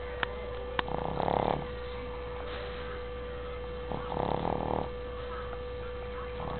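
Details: Female Shih Tzu fast asleep and snoring: two longer, raspy breaths roughly three seconds apart, with a couple of sharp clicks early on and a constant background hum.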